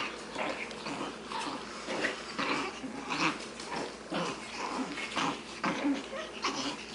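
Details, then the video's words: Six-week-old Shih Tzu puppy boys, a litter from Addie and Vinnie, playing together indoors: soft overlapping growls and grumbles in irregular bursts, with a person's voice calling to a puppy named Jasper. "Shih Tzu boys playing"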